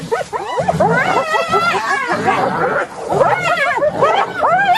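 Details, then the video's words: Several hyenas calling together, a chorus of quick, wavering, high-pitched giggles and yelps that rise and fall in pitch, overlapping continuously with brief pauses between bursts. "صوت الضباع"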